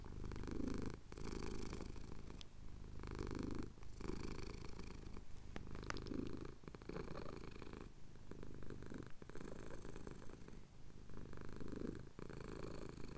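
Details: Low, continuous purring from a male cat having his chin scratched at dawn in the Cotswolds; the rumble rises and pauses in breathing cycles roughly every one and a half seconds, with faint hiss above.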